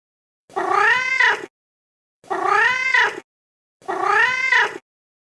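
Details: Kitten meowing indoors: three identical drawn-out meows, each about a second long, rising then falling in pitch with a rich harmonic, slightly nasal tone, separated by short silences.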